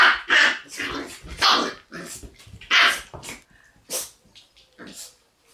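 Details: Two Shiba Inu puppies, a female born 11 March and a male born 25 March, playing together: a run of short, bright yips and yelping barks in quick bursts, with growly scuffling between them.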